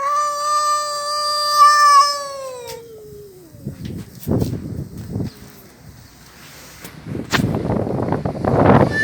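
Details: Domestic cat, one of a pair with Mickey and a red cat: one long, loud, harmonic meow held steady for about three seconds, then sliding down and fading, followed by rustling and handling noises.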